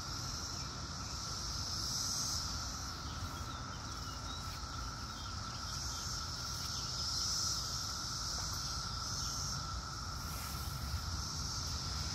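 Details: Cicadas drone in a steady, unbroken 2021 chorus over a low background rumble, recorded outdoors while cats look for cicadas to pounce on.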